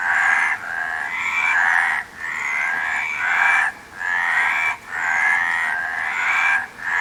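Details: Frog calling in harsh, drawn-out croaking bursts broken by short pauses every one to two seconds, some bursts ending in a thin rising squeak.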